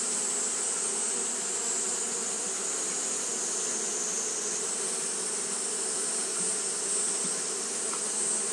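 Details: Japanese honey bees fanning continuously on a hot day: a steady, dense low hum with layered drone bands, unbroken for the whole stretch, over a constant high hiss.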